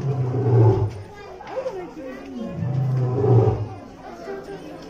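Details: A male white lion born November 2016 gives deep, moaning roars, two long low bursts a few seconds apart, after licking concrete, not as a threat, at Okinawa Zoo & Museum on a Halloween autumn night, 31 October 2020.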